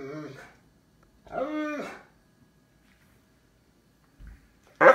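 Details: Cane Corso dog indoors searching for its toy: a short harmonic yowl, then a longer drawn-out moaning bark-howl, quiet pause, and a final sharp loud burst at the end in a small room.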